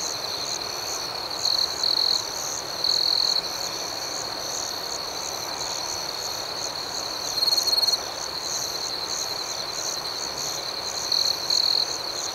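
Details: Crickets at night in an outdoor setting: a steady, high-pitched shimmering chirp runs throughout, with louder buzzy trills about half a second long near 1.5, 3, 7.5 and 11 seconds, over a faint pulsing layer higher still.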